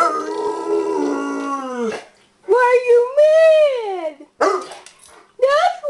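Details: Bernese Mountain Dog, upset about the mail lady, giving a drawn-out falling howl, then arching whine-like calls that swoop up and down, several short bursts separated by brief silences.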